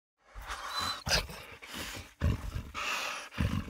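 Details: A dog grunting and panting in rough, breathy bursts, with several strong puffs about every half second to second, heavier grunts near the start and middle, and no other clear sounds.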